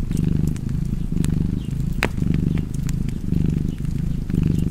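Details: Cat purring in a low, steady rumble that swells and fades with each breath roughly once a second, while a fireplace crackles with sharp pops, one louder snap near the middle.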